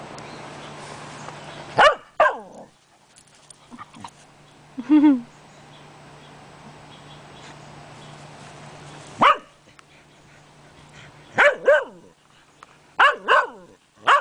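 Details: Puppy Tiara at play with Cody, the household dog: short sharp barks in scattered bursts, a few single yelps and a tight cluster of three to four barks near the end, separated by quiet stretches with a faint steady hum.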